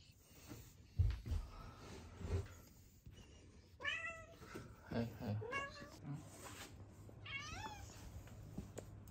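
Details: Female cat, rescued as a kitten and wary of people for six years, with a congenital heart condition, living indoors; soft knocks early, then three clear meows rising and falling, the last longest, over a low room hum.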